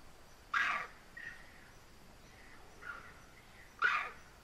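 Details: Bonnet macaque in the dark gives two loud, harsh barking alarm calls about three seconds apart after seeing a leopard.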